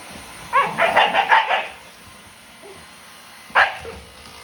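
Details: Sakura, a Shiba Inu × Siberian Husky mix dog, agitated by a Dyson vacuum cleaner: a rapid burst of five or six sharp, high barks within about one second, a pause, then a single bark, over a faint steady hum.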